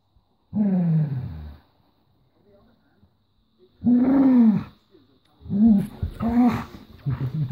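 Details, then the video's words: Honey, a female Golden Retriever, growls over a toy she will not give up; three drawn-out, throaty, low harmonic growls that slide downward, separated by short pauses. "Mad golden retriever"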